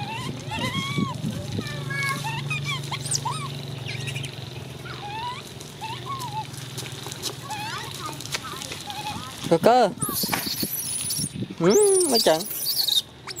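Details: Baby monkey Coco calls in wavy, rising-and-falling squeals early on, then a loud burst of harsh broadband screaming near the end, with human voices and a low hum behind.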